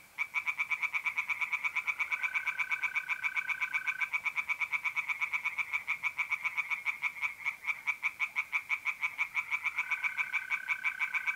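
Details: Pond chorus of tree frogs at night in mid-April, north-east Italy: loud rhythmic croaking pulses in quick succession, about three each second, joined twice by a sustained even trill from mole crickets.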